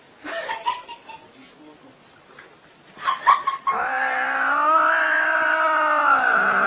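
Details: Cat making a funny sound: soft broken chatter, then a loud, steady, drawn-out yowl lasting about three seconds with a slight fall at the end.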